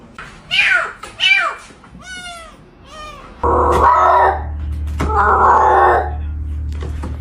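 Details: Cat giving four short, clear meows in the first three seconds, followed by loud rustling and thumping noise that covers the rest.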